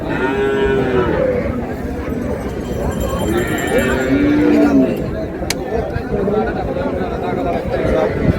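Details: Cattle at Raniganj market, Dinajpur, where cows are sold with their calves on July 2, 2026. A sustained moo rises early, with another harmonic lowing call a few seconds later, under continuous human talk and market bustle.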